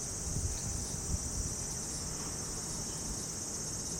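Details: Continuous shrill insect drone in summer at a traditional house in Japan, an even high hiss without pauses, with faint low rustling of wind beneath.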